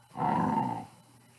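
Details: Playful growl from a Pit Bull, one steady rumbling growl lasting under a second, indoors with little else heard.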